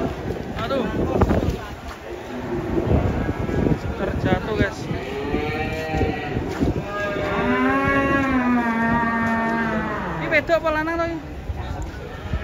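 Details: Cattle coming down off a truck during unloading, one animal angry; long harmonic moos, one sustained low bellow in the middle, mixed with people's voices and clattering.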